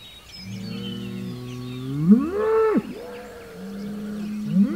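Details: Hereford bull facing a rival Hereford bull across a road, with an Angus bull also within 100 yards, on June 17, 2023; low drawn-out bellows that rise sharply into a loud higher roar, then drop, with a second deep call answering.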